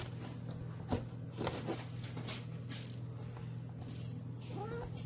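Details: A pet domestic cat wearing a bell collar, nicknamed 'fat pig', comes out indoors to greet its owner. It gives a short rising meow near the end over bell jingles, a steady low hum and a person talking.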